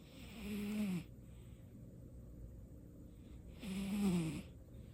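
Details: Domestic cat named Baekho, asleep and snoring for the first time: two rasping, drawn-out snores, each about a second long and roughly three seconds apart, with soft breathing in between.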